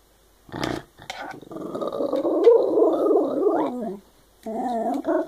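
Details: Shiba Inu dog "talking" with funny noises: a short grunt, then a long, wavering, growly moan of about two and a half seconds, followed by a brief higher, whiny yodel.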